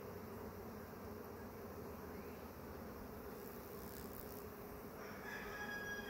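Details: Honey bee swarm being caught, the first swarm of the year: a dense, steady buzzing hum fills the whole recording, with a brief higher squeak near the end.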